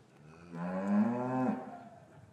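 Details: Single loud, sustained moo with stacked harmonics, slightly rising then falling, from cows in an English cattle yard on a winter afternoon when the calves had been separated from their mothers.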